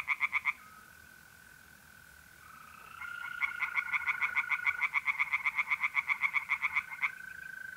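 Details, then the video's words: On an April night in North-East Italy, a short burst of tree frog croaks fades to the level drone of trilling mole crickets before a long, rapid run of pulsed frog calls rises over it. "relaxing singing tree frogs in pond"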